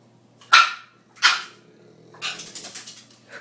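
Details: Hungry female Boston Terrier asking for dinner indoors: two loud sharp barks under a second apart, followed by a rapid run of softer overlapping yips and whines, with a faint steady hum.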